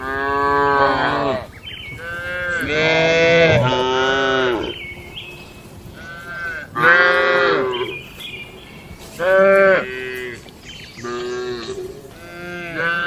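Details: Several tame cattle lowing inside a farm shed as part of their daily barn routine: a run of overlapping moos, some deep and drawn-out, others shorter and higher, rising and falling across thirteen seconds.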